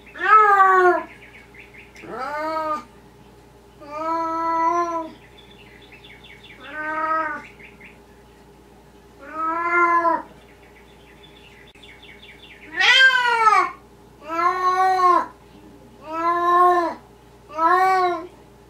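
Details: Maine Coon and Siberian kittens calling almost continuously, about nine harmonic meows roughly every one to two seconds, some short and flat, later ones louder and arching, with faint higher chirpy sounds between calls and a low steady hum.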